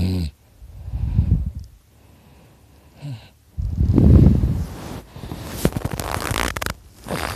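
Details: Sleeping dog Dakota snoring loudly beside his owner; low rumbling breaths rise and fall twice, followed by scattered clicks and rustling noises toward the end.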